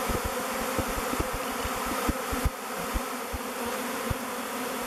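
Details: Honey bees swarming in the thousands around the face of a log hive they are picking as a future home, clustering and waggle dancing; an even, low buzzing hum fills the air, punctuated by short close fly-by buzzes.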